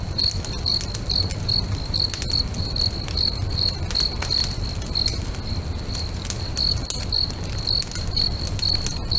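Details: Crickets singing beside a lake at sunset next to a crackling bonfire: a steady high pulsed chirp repeated about twice a second, evenly spaced, over sharp fire crackles, pops and a low rumbling hiss.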